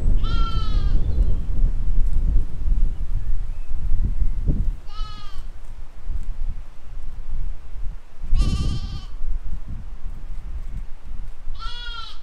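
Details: Sheep and lambs grazing in a field, spring 2020: four strong, trembling bleats spaced several seconds apart, some long and wavering, against a heavy low wind rumble and occasional soft thumps.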